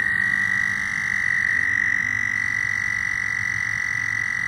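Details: Continuous high, buzzy trill from loud frogs, flat in pitch and unbroken throughout, with low murmuring background noise beneath.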